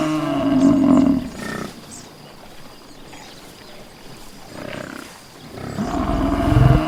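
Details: Buffalo in nature giving deep, drawn-out harmonic bellows at the start and again near the end, with a rough, noisy lull between them.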